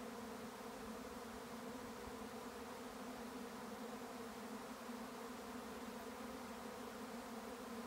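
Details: Swarming honey bees in May, County Kilkenny, Ireland: an unbroken, even hum of many wings, rich in stacked droning tones with no other clear sounds.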